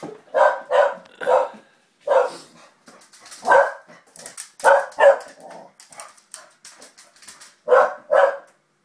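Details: Springer spaniel barking while playing with a young girl, short loud barks in quick pairs and bursts, about a dozen across the stretch with brief pauses between.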